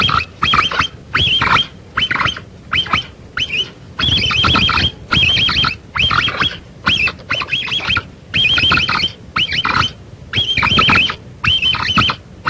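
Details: Capybara sound used to lure the animal near: sharp, squeaky, whistled notes with a curled, falling-rising shape, delivered in quick clusters separated by brief silences, with a constant noisy hiss underneath.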